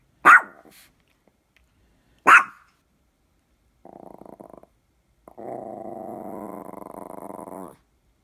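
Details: A Maltese dog growling: two sharp barks two seconds apart, then a brief rattling growl and a longer sustained throaty growl lasting over two seconds.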